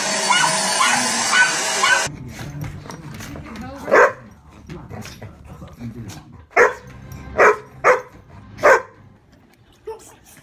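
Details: Poodle puppies give short, sharp barks, a handful spaced about a second apart, after a stretch of loud rushing noise, with a low background murmur between them.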